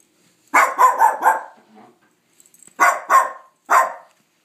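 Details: Dog barking at nothing: a fast volley of four rough barks, a brief lull with faint soft sounds, then three more loud, harsh barks in quick succession.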